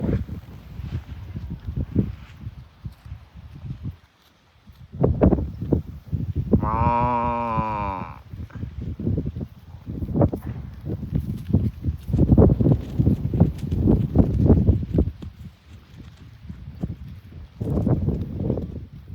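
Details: Farm cows being herded to the barn; amid steady shuffling hoof and footstep noise, one cow gives a single drawn-out moo of about a second and a half midway through.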